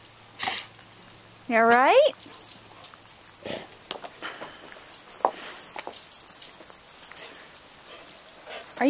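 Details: Roxy, a pet chocolate Labrador Retriever frightened by roofing materials in the home driveway, gives one loud, rising, strained whine lasting about half a second, with a person talking softly around it and scattered handling noises.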